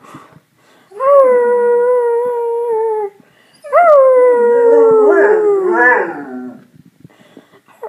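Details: Dog howling: two long, clear, tonal howls, the first steady for about two seconds, the second rising briefly then sliding slowly downward for nearly three seconds before breaking up, with a short pause between them and quiet surroundings.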